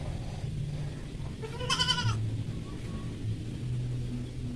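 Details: Goat being injected with vitamin B complex. A single strained, harmonic bleat lasts about half a second over a steady low hum, with faint background noise.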